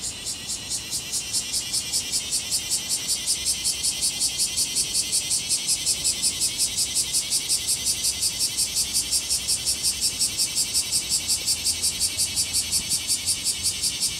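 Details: A bear cicada at Tsukudabori, Japan, recorded 17 August 2018 at 9:58 am, sings a loud, harsh, pulsing buzz repeated nearly three times a second without pause; its song reportedly differs from that of Kansai cicadas.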